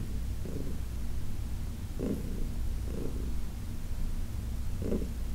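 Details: Senior domestic cat Heidi, a female adopted from the Humane Society of New York City, purring during a massage: a steady low rumble with soft rhythmic pulses about once a second.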